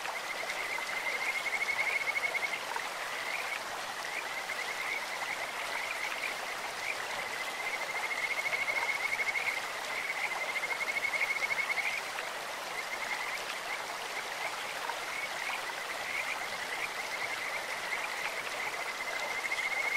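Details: Kajika frogs' high, bird-like trills run steadily over a rushing stream, swelling in bouts near two seconds and again from about eight to twelve seconds, with water noise filling the background.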